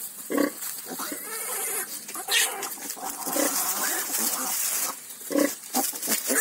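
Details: Newborn farm piglets from a litter of ten give a couple of louder grunts at the start and near the end, set against a hissing, noisy background with muffled rustling between.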